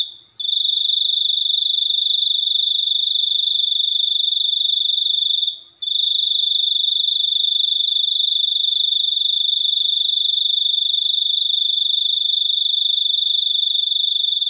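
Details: Cricket giving a steady, shrill, high-pitched pulsing trill that runs almost without a break, stopping only briefly near the start and again around six seconds before resuming at the same pitch and rate.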